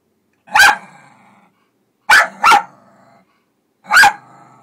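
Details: A terrier dog barking suspiciously at a noisy front-load washing machine on its first encounter with one: a sharp single bark, a quick double bark, then another single bark, with short growly tails in a quiet room.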